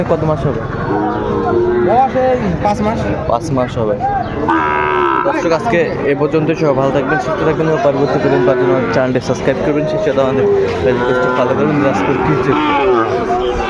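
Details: Sahiwal bull calves traded at the start of Ambari market in Dinajpur on 23 February; many overlapping moos, long and wavering, come from several animals at once over a background murmur of market voices.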